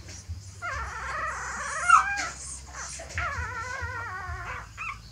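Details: Mother dog, seemingly moving her puppies to a new nest, gives high, wavering whines in two long drawn-out stretches, each sliding up and down in pitch with rich overtones, over a steady low hum.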